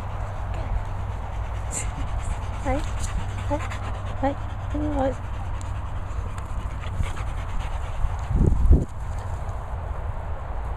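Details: Two dogs, a Labrador and a Staffie x Collie named Barney and Chelsea, at training and boarding kennels in Worcestershire countryside: a series of short, wavering whimpers in the first half, then a louder low burst near the end over steady background hum.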